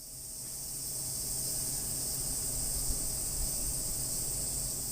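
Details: Tsukutsuku-boshi cicada singing vigorously near Akisaizaki Station, Hiroshima Prefecture, heard from the station waiting room: a steady, shrill, high buzzing drone held without a break, over a low background hum.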